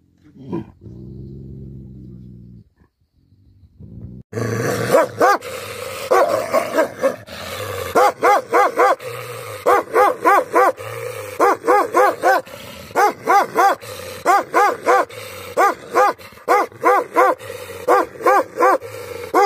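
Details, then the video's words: Angry Tibetan Mastiff dogs barking: after a few seconds of a man talking, a steady run of deep, harsh barks follows in quick bursts, several per second at times, with short gaps. "Angry dogs barking effect sound ||Tibetan Mastiff || Bhote Kukur"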